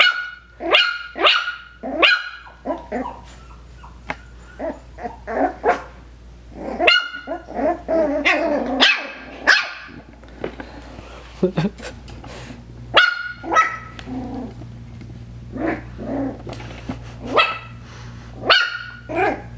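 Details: Playful Coton de Tulear puppies, five weeks old, indoors: frequent high-pitched yapping barks in quick clusters, mixed with small growls and squeaks, over a constant low electrical hum.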